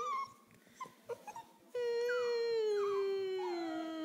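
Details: An 11-week-old female Pembroke Welsh Corgi gives a few short yips, then a long, drawn-out howl that slowly sinks in pitch, mimicking her owner's whining and howling.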